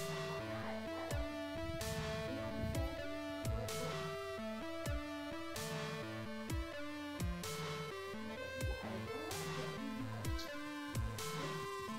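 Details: Electronic dubstep music plays throughout, with heavy bass hits, plucked notes and sharp percussive beats.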